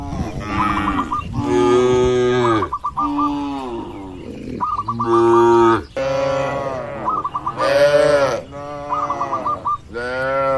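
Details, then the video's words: Tame cattle roaming and grazing freely in open countryside give long, rich moos with arched pitch, five loud calls in ten seconds, while short hooked chirps repeat in quick bursts between them. "Sapi Lembu Jinak Bebas Berkeliaran di Alam Terbuka | Suara Alam & Moo Lucu"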